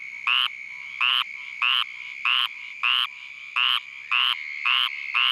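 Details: In Vero Beach, Florida, a squirrel treefrog keeps calling as mosquitoes (Uranotaenia lowii) attracted to its voice attack it, infrared night footage. Nine brief grating, duck-like notes come in a fast regular series about every 0.6 seconds, with a steady high drone behind.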